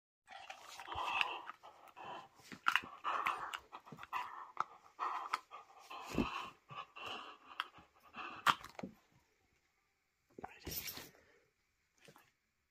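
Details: Pet whippet being handled indoors, making quick breathy pants and soft whiny snuffles in irregular bursts, then falling quiet before a final short rustle and huff near the end.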